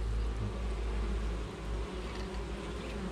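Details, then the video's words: Honey bees active at an apiary hive on a June 2020 morning, in a 5.5-hectare organic orchard; a dense, steady low hum of many wingbeats fills the air without a break. "Écoutez le chant des abeilles. Le matin, je vous jure que c'est hyper relaxant, quoi."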